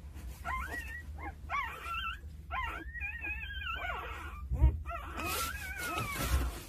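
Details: Two-day-old Jindo puppies, from a litter of nine, being cared for by their mother: high, wavering whines rise and fall in quick succession, several pups overlapping, with soft low rumbling and a few brief knocks underneath.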